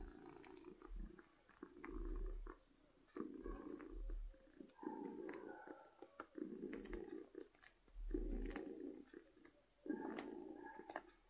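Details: Loud, happy purring from a domestic cat, rumbling bursts roughly every two seconds with deep thumps underneath and small clicking noises between breaths.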